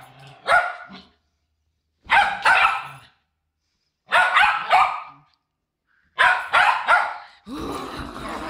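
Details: Poodles at a reunion of several dogs give loud, rough barks in quick doublets and triplets, one group roughly every two seconds, with silence between.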